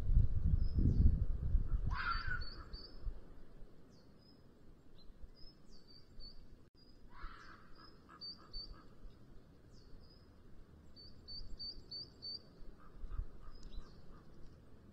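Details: Rutting red fox calling late in the afternoon near a black vulture nest webcam in Sierra de Guadarrama National Park, the 'chilla' of the mating season; two raspy screams about five seconds apart over repeated thin bird chirps and low rumble.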